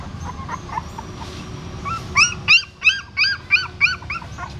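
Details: A female dog with newborn puppies at a pagoda stupa in Siem Reap, moving them in her mouth. Faint squeaks, then a run of high, arching whimpers about three per second, each with stacked bright overtones over a low background hum.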